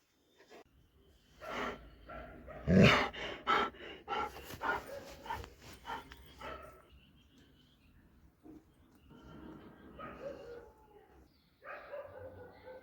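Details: Dobermann giving a burst of loud, harmonic barks and yelps packed into a few seconds, followed by quieter, scattered whining calls and some panting-like breathy noise, with faint human voices in the background.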